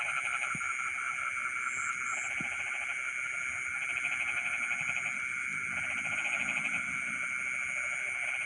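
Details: Frogs singing in rice fields in the middle of the night: steady layered pulsing trills, some bursts starting and stopping every few seconds, over a continuous high insect-like hiss.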